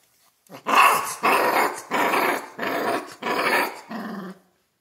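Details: A Central Asian Shepherd puppy in Michigan growls while being teased over a raw venison neck: four loud, rasping growls of about a second each with brief gaps, ending in a softer, lower rumble.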